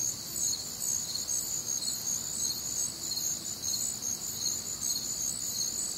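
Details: High, rapid chirping of many crickets, recorded one warm, humid Midwestern summer night, the pulses coming slightly faster here and blending into an unbroken insect chorus.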